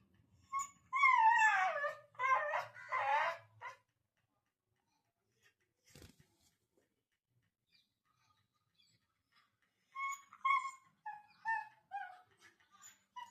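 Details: Pet dog named Siri crying hard indoors after a long fight with another dog; bursts of high, falling whines with quavering tones crowd the first few seconds, then a quiet pause, a sharp click, and another run of shorter whimpers.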